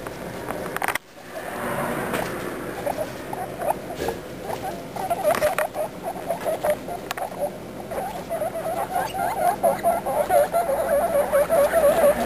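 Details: Baby guinea pigs talking: a busy stream of short squeaky chirps and chatter, sparse at first after a brief break near one second, then growing denser and louder toward the end.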